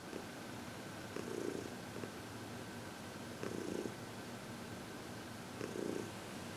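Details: Heidi, a happy senior cat of 14 from the Humane Society of New York City, purring under massage and reiki on February 22, 2021; low rumbling swells return about every two seconds, with steady background hiss.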